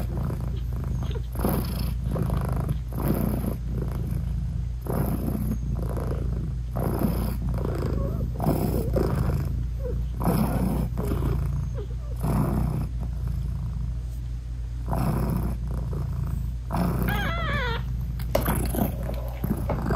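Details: Mother British Shorthair cat purring while nursing tiny newborn kittens: continuous deep purr with rhythmic breath surges, and near the end a brief, thin, high wavering mew. No music.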